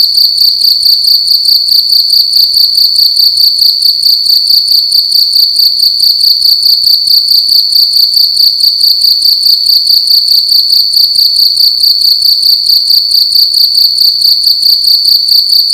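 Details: Night-time cricket in a room keeps up an unbroken, shrill, ringing chirp, its fast pulses evenly spaced and steady in pitch for the whole stretch; little else is audible besides a soft low hum.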